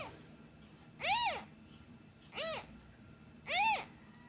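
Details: Abandoned kitten crying for its missing mother when a hand is taken away: three short, high arched meows with rich harmonics, spaced about 1.2 seconds apart over faint background hum.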